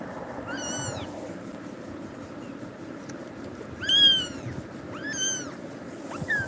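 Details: A scared young cat, startled by Tiger, cries out in four loud, bowed meows spaced about a second apart, the strongest near the middle; a steady low hum sits beneath.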